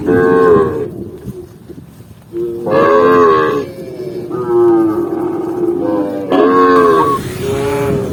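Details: Deep, resonant lowing from a tame cow on a walk through a green forest, with four sustained moos separated by short pauses, the later ones rising slightly in pitch before trailing off.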